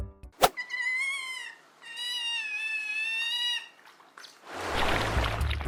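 An otter gives two drawn-out, whining, cat-like squeals with a slight wavering pitch.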